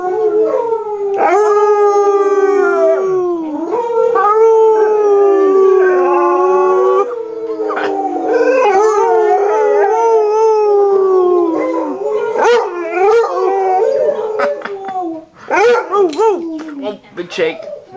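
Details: Pet Basset Hound named Pretzel howling indoors in reply to another basset howling on a screen; long sustained, wavering howls with rich harmonics, sliding slowly downward, broken by brief yips near the end.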